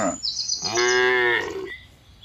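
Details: A single steady moo of about a second from a tame farm herd with calves returning to the barn in the rainy season, full and harmonic, fading out, with bird chirps above it.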